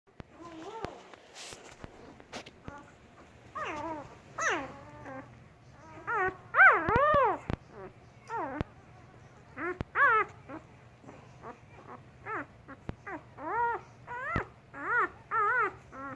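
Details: German Shepherd puppies, four days old: many rising-falling squeaky whimpers and whines overlapping, around two per second, with faint speech and clicking handling noises.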